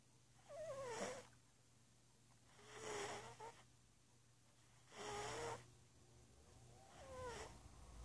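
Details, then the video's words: Princess Squeaks, a pet cat, sleeping and dreaming while she snores: four breathy bursts about two seconds apart, each carrying a squeaky, wavering tone that dips and rises, with quiet breathing between. "Cute Funny Kitty Cat Dreaming and Snoring"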